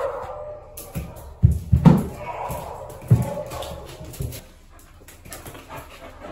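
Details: Evie, an Australian Cattle Dog available for adoption, gives a short cluster of deep, broad barks near the start, then one more, before quieting into a low steady hum with faint background noise.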